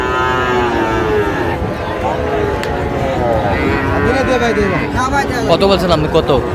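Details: Bull calves of the Sahiwal breed at a Kushtia cattle market in Bangladesh on 8 May 2025; a steady, long moo carries through the first seconds, then crowd talk and clattering sounds take over.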